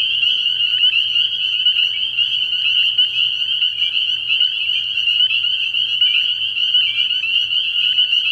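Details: Early spring frog pond at night, where a crowd of spring peepers keeps up a steady, piercing chorus of high piping notes, individual peeps flickering above the constant ringing mass.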